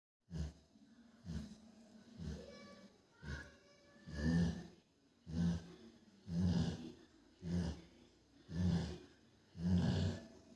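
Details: A sleeping female Rottweiler snores in deep, rumbling breaths, roughly one per second.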